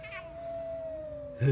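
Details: Male cats fighting, recorded on a late afternoon of 16 February 2018: one long, steady, drawn-out yowl holds level for over a second. A brief higher wavering cry comes first and a sudden loud noise follows at the end.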